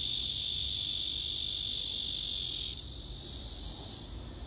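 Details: Male cicada courting a female who backs off from him: an intense high buzzing hiss that drops in loudness abruptly near three seconds and again just after four seconds.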